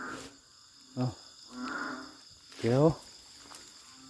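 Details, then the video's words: Narrow-mouthed frogs calling loudly along a creek in Thailand while people spotlight for them. Two deep, moaning, moo-like calls with stacked tones, one short and one longer, plus a softer mid-pitched call between them. Voices are nearby. "เสียงดังลั่นห้วย ออกหาส่องอึ่งกัน"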